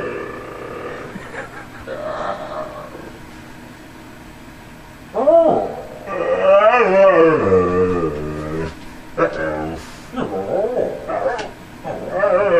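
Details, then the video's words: Tundra the husky talking with its owner: human speech at first, then a long, wavering howl-like utterance that warbles up and down for about three seconds, followed by scattered shorter yips and voices. "TUNDRA AND DAD TALKING HUSKY"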